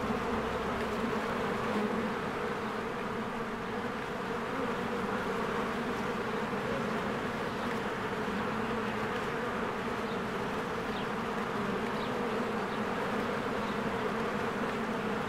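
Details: Honeybees in spring flying in and out of their hive while flowers bloom, a dense steady droning hum with layered low buzzing bands, unbroken throughout, with faint brief high chirps of birds scattered above.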